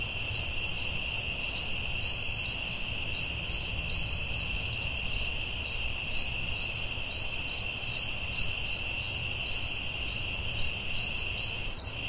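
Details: Crickets at night in the forest: an unbroken piercing trill with evenly spaced bright chirps, about 143 a minute, plus two short hissy bursts early on and a low rumble beneath.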